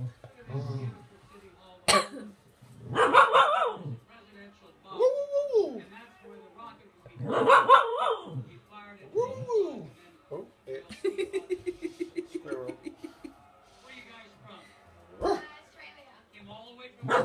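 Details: A female blue roan Cocker Spaniel gives drawn-out, rising and falling howls that sound like a rooster's crow.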